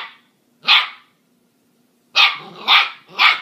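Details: Husky and corgi puppies playing together, yapping: a single high bark, a second of quiet, then three rapid, evenly spaced barks in quick succession over a faint hum.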